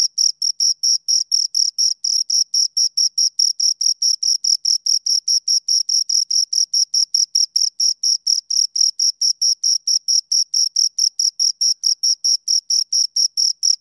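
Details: Two crickets chirp right by the recorder: sharp, ringing high pulses in a very regular rapid beat, about two per second, unchanging throughout, with a quiet background.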